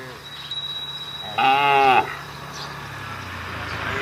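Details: Roadside cattle calling their herd, one brief harmonic moo of about half a second rising out of steady low background rumble.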